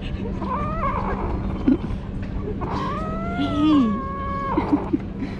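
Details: Kitten trying treats for the first time makes two harmonic cries. One is short and wavering; the other is long and flat, holding steady for nearly two seconds before it stops. A constant low hum sits in the background.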